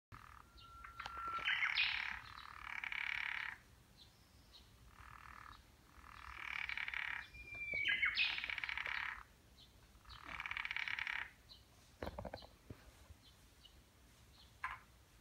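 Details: Japanese wrinkled frogs in a temple stone garden in Nishi-ku, Hiroshima, during the mating season, give grating, pulsed croaking bursts, each a second or so long, repeated every few seconds.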